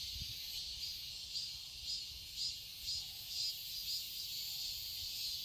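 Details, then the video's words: Cicadas chorusing in a garden in Seoul, Korea, in summer: a dense, continuous high-pitched buzz with steady pulses swelling roughly twice per second, no other clear sounds. "Cicadas chirping sounds"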